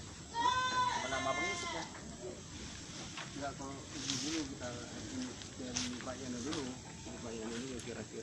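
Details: Etawa goat kept for milk in Aceh Tamiang, Indonesia: one loud, quavering bleat with a rich, nasal tone opens the recording. Lower wavering calls and people talking fill the rest.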